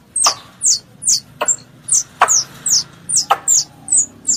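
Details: Squirrel pest giving a call to its mother: shrill descending chirps repeated a little over once per second, with occasional sharp clicks.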